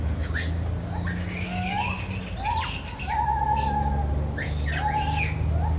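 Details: Zoo lar gibbon giving short rising whoops and a few drawn-out level hoots, partly masked by a steady low mechanical hum and scattered clicks.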